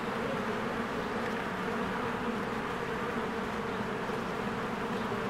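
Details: Honeybees flying around their cozy hive in spring among blooming flowers, a loud, unbroken, rough buzzing hum from many insects at once, nothing else standing out.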